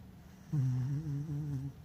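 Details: A sleeping pet dog named Lucky gives a low, droning, hum-like snore lasting just over a second, steady in pitch with slight wavering, set against a quiet indoor background.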